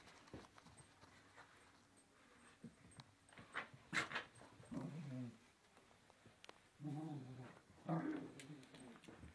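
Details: A blonde Yorkshire terrier at play gives short, rumbling play growls in bursts, with light taps and knocks around it.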